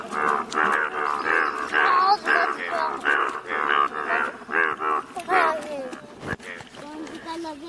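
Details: Chorus of yellow-coloured Indian bullfrogs in Malkangiri, Odisha, India: many overlapping nasal, harmonic croaks in rapid, uneven succession, about two per second, with calls crowding together and no clear gaps.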